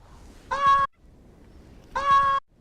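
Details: A desert rain frog gives two shrill, squeaky cries, each under half a second, like a squeezed dog toy, described as the war cry of a very angry frog.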